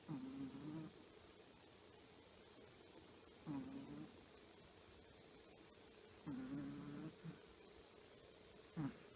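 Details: Choppi, a sleeping 10-year-old female Chihuahua, snores softly and contentedly indoors: low, slightly whistling snorts with each breath, roughly every three seconds, separated by quiet pauses.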